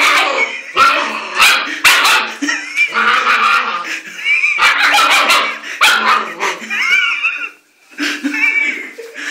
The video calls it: German shepherd puppy bark